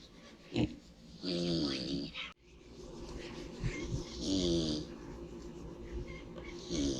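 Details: One pig sleeping in the sun, snoring loudly: about three rasping, harmonic snores spaced a few seconds apart, each with a breathy hiss, and brief quiet gaps between them.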